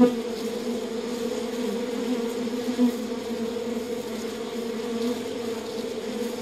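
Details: Constant humming of many honey bees in their hive, a thick low drone with a faint higher overtone, one brief louder swell partway through, otherwise even and uninterrupted.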